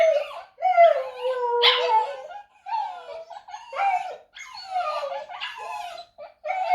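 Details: Pomsky husky crosses vocalising indoors, a seven-month-old trying to copy howling: choppy, yodelling howl fragments and yips in uneven bursts about once a second, pitch bending up and down, with noisy breaths between.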